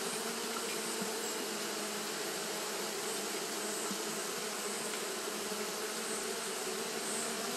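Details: Many Japanese honey bees fanning nonstop in hot weather, producing an even, unbroken droning buzz with stacked low tones and a bright, airy hiss above.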